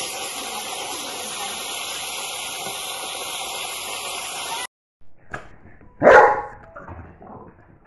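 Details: Boston Terrier with its family during play: after several seconds of steady hissing noise and a brief silence, a few soft knocks lead into one sharp, loud bark that trails off quickly.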